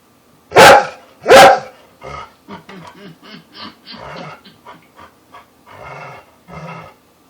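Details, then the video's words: Eve, a pet dog encouraged by her owners to bark, gives two loud, sharp barks about a second apart, then a person talks softly. "Eve the dog barking with a cute sneeze at the end:)"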